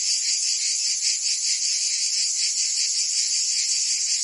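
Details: Summer cicadas in Provence, France, singing together as one wall of high, buzzy sound, softly pulsing at a quick, uneven beat, with no other sounds.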